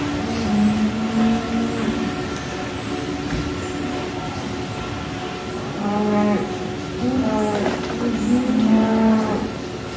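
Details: Cattle at the Al Sharif dairy farm in Chiniot, Pakistan, low drawn-out moos with strong harmonics, several long calls at the start and more overlapping moos after a pause, over steady barn hum.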